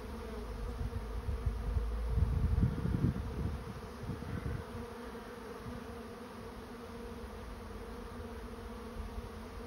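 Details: Honey bee swarm moving into a swarm trap: a steady, low droning hum with a faint higher overtone. Rumbling low thumps, strongest around the second to fourth seconds, break in over the buzz.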